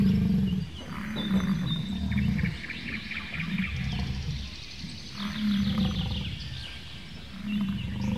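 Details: American bison (Bison bison), bellow.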